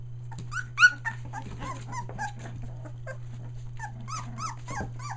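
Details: Nearly three-week-old Australian Shepherd puppies, including three merles, near Mooresville, North Carolina, who have found their voice: a busy chorus of thin, high whines and sharp yelps, many short downward-sliding squeals, one louder yelp early, steady low hum beneath.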